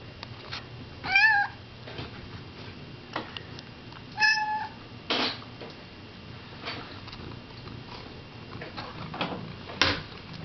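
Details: Domestic cat sitting in a bidet indoors, acting wildly: two short, clear harmonic meows about three seconds apart, amid scattered clicks and thumps in a small room.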